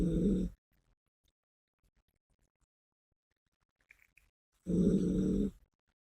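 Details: Biske, a female Yorkshire Terrier, snoring cutely while asleep indoors: two short, low, buzzy rasping snores, each under a second, about four seconds apart, with near silence between them.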